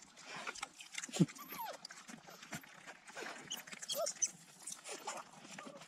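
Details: African wild dogs (painted wolves) returning to their den to feed puppies on a Kalahari Desert game reserve in South Africa trade quick, high squeaks and rising chirps, with a few lower yelps, over constant rustling and scuffling.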